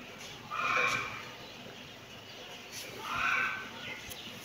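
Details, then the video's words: Two short, high-pitched kitten meows, the first just after half a second and the second near three seconds, separated by near silence. "Kitten meowing"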